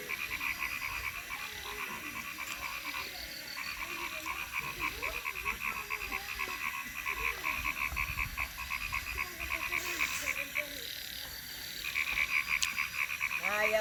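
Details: Frogs calling in Thakurgaon district: a steady chorus of fast, ticking pulsed trills in long runs with short gaps, plus scattered lower croaks beneath.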